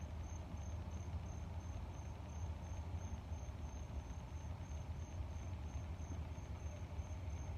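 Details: Steady train of brief, high cricket chirps, about three per second, over a deep, unbroken rumbling drone of air.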